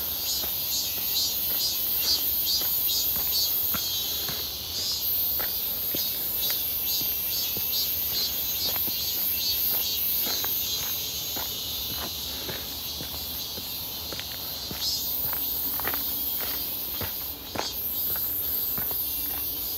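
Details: A dense, steady high-pitched cicada chorus buzzes without pause, with faint rhythmic pulses throughout, on a clear, hot midsummer day, 1 August 2023.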